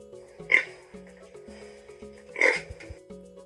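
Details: Pig oinks played for children learning farm animal sounds: two short, harsh, noisy grunts about two seconds apart over a light, bouncy music backing.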